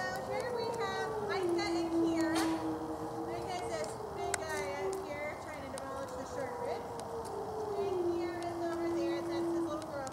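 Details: Wolves howl on a full-moon night, November 17th 2013, at the Colorado Wolf & Wildlife Center feeding tour. One low, drawn-out howl falls and levels off repeatedly, while higher wavering voices and clicks sound above it.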